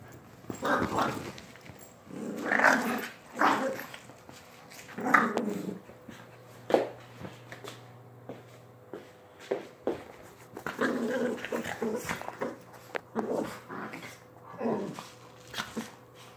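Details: Chihuahua giving repeated short, sharp vocal bursts with some growling between them, irregular and mid-pitched, spaced by brief pauses across the recording, with a low steady hum underneath.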